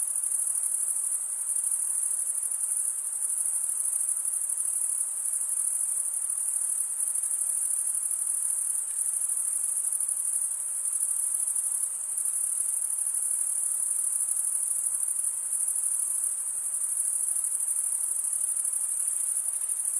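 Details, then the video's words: Constant shrill cricket chirping, made by scraping a wing edge across a comb-like row of teeth on the other wing, sounding as one sustained high-pitched trill with gentle rhythmic wavering and quiet background hiss. "cricket sound"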